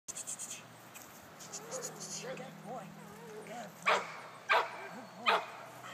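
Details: Ten-week-old male puppy with a patched coat, giving soft rising-and-falling whimpers, then three sharp, loud yips about half a second apart; a person speaks nearby.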